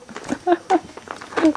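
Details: Three-week-old Weimaraner puppies from Trixie's Bravo litter give a few short, bright whining yelps in quick succession, each a brief tonal cry.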